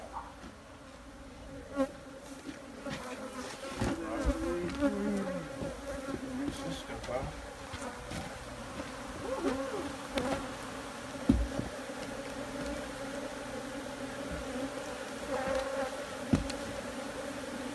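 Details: Honey bees in a dense swarm give a steady, low droning hum with a constant tone and its overtone, over background music and occasional sharp knocks and clicks.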